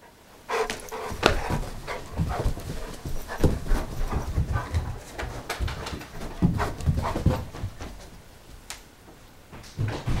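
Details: Charlie, a pet dog, racing around indoors with the zoomies in a small room; quick irregular huffing pants and thuds of running paws, a few faint whimpers mixed in.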